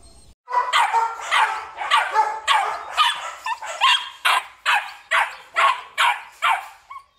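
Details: Belgian Malinois, male, black and red-black coat, at a kennel in Vietnam, barking steadily about twelve times in seven seconds, loud clipped barks at a fairly even pace, nothing else clearly heard.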